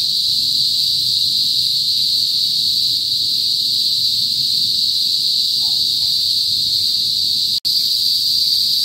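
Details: Cicadas, known in the Philippines as kuliglig, droning before sunset in a northern rural province; one constant loud high whine fills the recording, broken by a single sharp click near the end.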